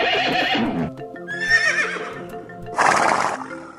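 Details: Horse neighing: a shrill, quavering whinny that wavers and falls in pitch, then a second brighter, louder burst near the end, with steady background music throughout.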